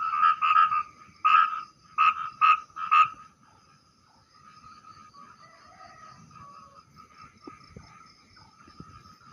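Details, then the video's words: Small but loud-voiced frog calling at night during a fishing trip, its call rendered 'prak prak': six sharp, rasping croaks in quick pairs over three seconds, then only faint background noise. "dengarkan bunyinya [Musik] hai hai hai hai hai hai hai saudaraku"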